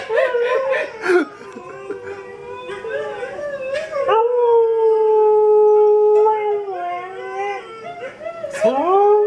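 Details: Siberian Husky, a pet dog indoors, howling while watching dog videos: short yips at first, then long steady sustained howl notes with rich overtones, rising and falling slightly, a sharp yelp near the end.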